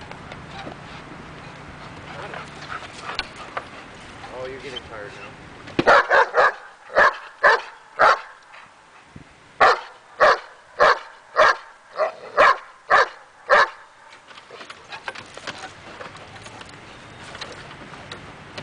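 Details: During agitation table training meant to build her confidence, Daja the dog barks in a steady run of about a dozen loud, evenly spaced barks, with a person talking before and after the barking.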